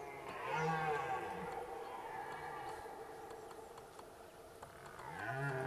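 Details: Distant red deer roars during the rut at Zvārde: a low, drawn-out moaning bellow at the start and another rising roar at the end, with steady background hiss between.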